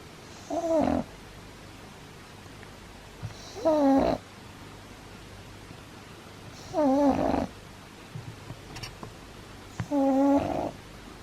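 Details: Pug puppy fast asleep indoors, snoring loudly: four wheezy, tonal, wavering snores about three seconds apart, each roughly half a second long, with quiet breathing and faint room noise between them.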